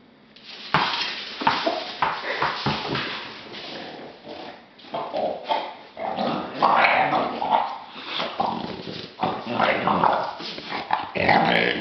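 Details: A male English Bulldog puppy, happy about his new toy, gives a run of excited snorting grunts and small whimpers, uneven and bursting every few seconds, while a person talks nearby; faint music at times.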